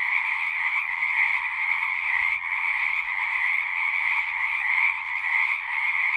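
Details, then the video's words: Massed frogs calling together, a constant high buzzing trill at two layered pitches that swells and dips slightly in loudness, with a brief soft low thump near the middle. "One hour of singing frogs."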